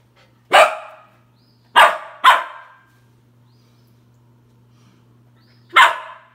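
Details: Three-month-old Australian shepherd puppy barking at his own reflection indoors: four sharp, high single barks, two close together, spaced over several seconds of silence with a faint low hum.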